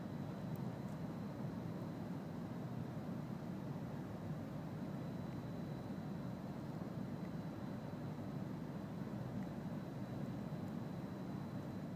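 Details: A constant low mechanical rumble continues throughout, with a thin steady high tone above it.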